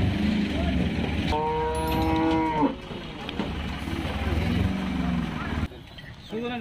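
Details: Cattle being unloaded from a truck at Paragram cattle market in 2021. One long, drawn-out, tonal moo lasts over a second, with fainter lowing before and after, against crowd chatter and a low engine rumble.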